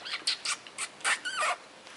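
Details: Chihuahua puppies, a litter of two males and one female, giving quick high squeaky yelps and whimpers, about seven short bursts within two seconds, some with wavering pitch, indoors with quiet background.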